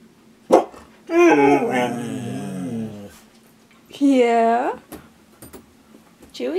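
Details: Husky teased with a treat inside a small room: a long, grumbling moan with layered harmonics lasting two seconds, then a shorter rising-falling whine, with a person talking between them.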